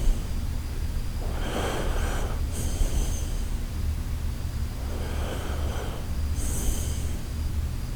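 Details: Koharu, a sleeping Shiba Inu, snoring in two pairs of hissing, rasping breaths about three seconds apart, each pair a longer inhale then a brief snort, over a constant low droning background.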